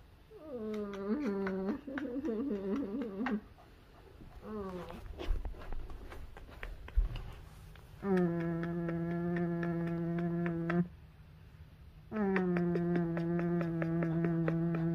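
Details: Boston Terrier seeking attention indoors, producing long steady harmonic whines lasting several seconds each, with shorter wavering whimpers early on and some thumping handling noise between calls.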